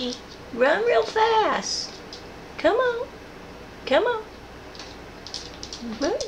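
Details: A female rescue cat, easygoing and sharing a home with a dog and another cat, meows repeatedly in the background: short, rising, nasal meows roughly every second, mixed with light knocks and clicks in a small room.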